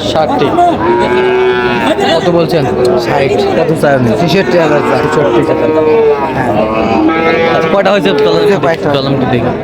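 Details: At a crowded cattle market in Chandpur, Bangladesh, where Sahiwal bull calves are being bought: several overlapping drawn-out lows rise and fall one after another against a steady roar of voices.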